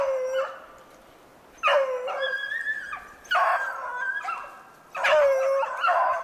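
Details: Beagles baying while hunting snowshoe hare, recorded 2/25/16: three drawn-out, howling bays with long pauses between, each starting low and bending upward, clear against a quiet background.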